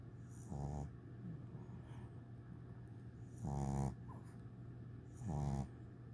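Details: English Bulldog puppy, eight weeks old, sleeping next to a teddy bear on its first day home; three low, rattling snores with gaps of about two and a half seconds between them, quiet breathing and a steady background hum.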